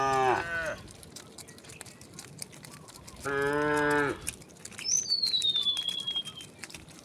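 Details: Tame cows of a herd walking toward wide green fields in the morning; two harmonic moos, a short one at the start and a longer one midway, then a descending whistled bird note and faint chirps.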